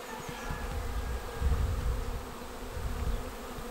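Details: Swarm of honeybees arriving at a swarm trap and entering the bait box on 19 May; low droning hum of many wings with rumbling, gusty low noise swelling mid-clip.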